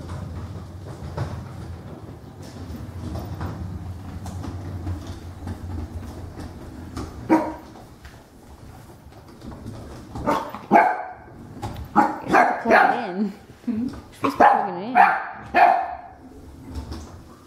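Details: Female puppy meeting a vacuum cleaner for the first time indoors: after a quiet stretch with low rumbling, a run of short, sharp, high yappy barks comes in bursts roughly every half second to second.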